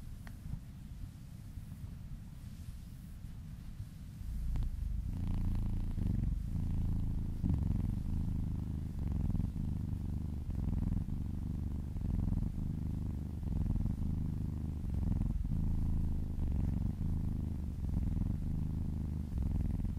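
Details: Female kitten purring while being massaged and licking her owner's arm; a quieter opening gives way after about four seconds to a steady, deep, rumbling purr in close, continuous pulses.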